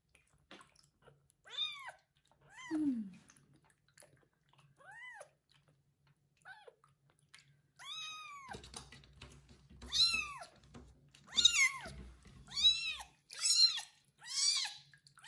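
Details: Loud meowing from the kitten Kubik after his first bath, tended and licked by a pregnant foster mom cat; a long series of rising-falling meows, sparse at first, then faster and louder over soft rustling handling noise.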